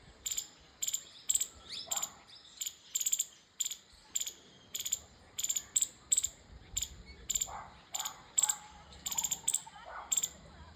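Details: Squirrel chirping: sharp, high, clicky chips in steady bursts, about two to three per second, sometimes doubled, over a soft background with faint low murmurs.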